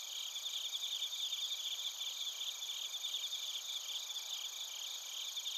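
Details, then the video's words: Field crickets and bell crickets calling together in Narita, Chiba, Japan, recorded with a TASCAM Portacapture X8. Constant thin high-pitched ringing with irregular faint pulsing forms an unbroken insect chorus. "スズムシとコオロギの鳴き声 - Chirping of crickets"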